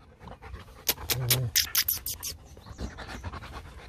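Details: Rottweiler panting while playing, one of the young dogs Nina and Nano kept as breeding stock at the Rottweiler Gervi kennel; a quick run of rough, breathy puffs over about one and a half seconds, with human voices around.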